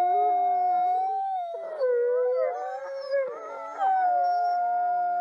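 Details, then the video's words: Overlapping wolf howls from a looped recording, a steady held note gliding downward then wavering back up, other voices weaving and crossing in pitch beneath it, ending on a sustained tone. "Wolf Howling"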